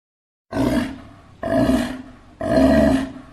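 A sea lion gives three loud, hoarse, roaring barks, about one each second.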